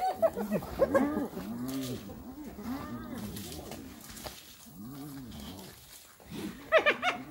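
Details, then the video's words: Hyenas attacking another hyena. Rising and falling moaning calls, each a few tones that swoop up and down, alternate with bursts of sharp, high, chattering giggle-like cries at the start and end. "Hyenas Brutally Attack Another Hyena"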